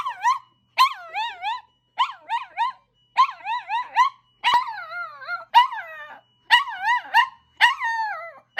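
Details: An ambulance siren sets off two pet dogs, Kokomi, a toy poodle aged nine, and Momoka, a Chihuahua–Maltese mix aged five. They give clustered bursts of two to four quick yodelling yips with short gaps between.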